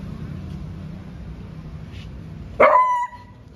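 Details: Young male beagle, seven months old, guarding the home and barking at a cow beyond the gate; a quiet stretch of low hum gives way to a single loud, ringing bark near the end, then calm.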